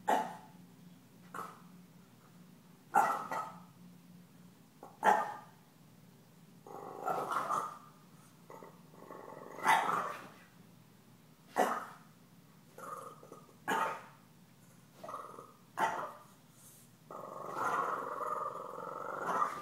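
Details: Stella the puppy barks over and over while Gomez, a deaf cat, taunts her. Sharp single barks come roughly every two seconds, mixed with longer growling barks and a sustained growl at the end.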